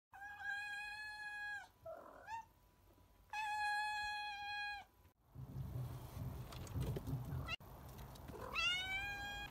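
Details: Domestic cat, a female, just awake from a nap on a garage roof in the afternoon, giving long, drawn-out, level meows with strong harmonics, then a rising meow near the end; a burst of rustling noise falls between them.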